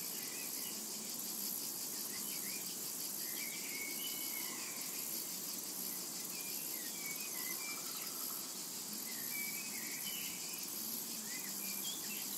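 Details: Cicadas droning shrilly and continuously in a summer meadow; faint bird twitters and short whistled notes come and go repeatedly beneath the steady insect chorus.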